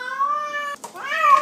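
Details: Male feral cat let inside a house and climbing the window blinds gives a long, drawn-out yowling meow that holds steady, breaks briefly, then rises into a second wavering wail.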